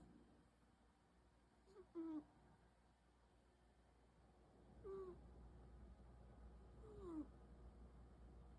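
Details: Munchkin cat snoring softly, three short, faint whistling squeaks that slide downward, spaced about two and a half seconds apart, over a quiet low hum.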